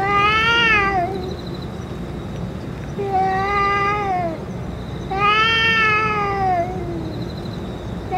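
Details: Stray boss cat among other strays, recorded after being given food and medicine: three loud, long meows with a gliding, slightly falling pitch, about two and a half seconds apart, plus a faint steady high tone in the background.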